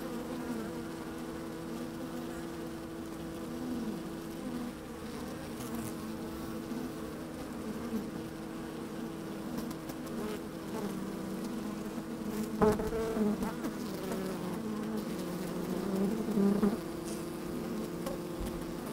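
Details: Honey bees working inside an open hive on a fine, sunny day, microphone slid down among them: a steady droning hum with layered low tones, occasional louder buzzes rising near the end, and faint crackles of bees moving about.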